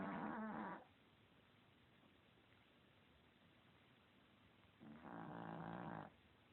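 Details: An overweight, lazy Chihuahua snoring, recorded in 2016: two rough, buzzy snore breaths, one at the start and one near the end, each under a second and a half, separated by quiet breathing hiss.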